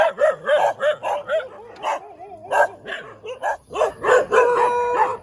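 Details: Dog barking in the morning in the middle of a road: quick, rhythmic barks roughly four per second, some drawn-out and howl-like tones near the end, with a steady high whine in the background.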